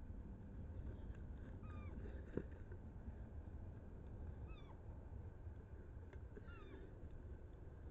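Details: A roe deer buck and doe chasing each other, recorded 7 August 2024, give short, high, whistled squeaks that slide downward, over a steady low rumble.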